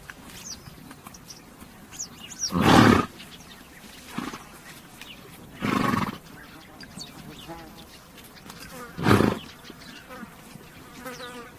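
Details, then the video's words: Horse snorting three times, short loud noisy bursts roughly three seconds apart, with a softer puff between them; faint outdoor background and bird chirps. "THE SOUND OF A HORSE"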